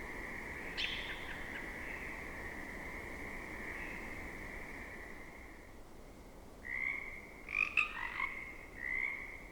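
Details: Pacific chorus frogs in a temperate rainforest wetland call and answer: a steady, reedy trilled drone, then after a pause a quicker burst of raspy, two-part croaks answering one another.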